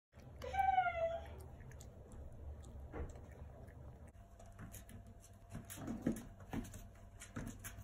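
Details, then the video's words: Six-week-old brother and sister rescue puppies, found alone at five weeks and fostered, playing indoors; one high, squeaky yelp with rising and falling pitch near the start, then a quiet room with faint knocks and rustling. "Cute 6-week old puppies playing and barking!"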